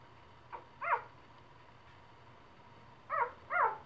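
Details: Three-day-old puppies giving a few short, high whimpering squeaks, one faint and then paired cries rising and falling, against quiet background hiss.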